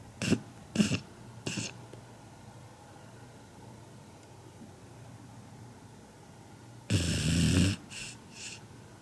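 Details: Kinako, a 7-month-old Labrador Retriever puppy, snores loudly in her sleep, said to be as loud as a human's. Three short rasping snorts come in quick succession, then a quiet pause with a low steady hum, then one longer, harsher snore.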